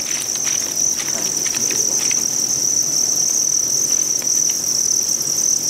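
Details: Farmed Thai crickets on a cricket farm in Vietnam: a dense, unbroken high-pitched trill from many insects, steady throughout, with faint scattered clicks and rustling beneath.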